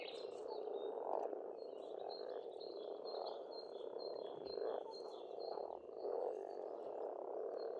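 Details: Springtime frogs calling together at an Estonian pond, a steady overlapping croaking drone without pause, with bird song running through it as repeated high twittering notes.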